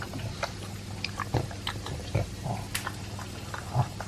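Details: Elvis, a two-year-old Pug, eats dry food mixed with a chunk of beef meat. Irregular crisp crunches and wet smacks come every half second or so over a steady low electrical hum indoors.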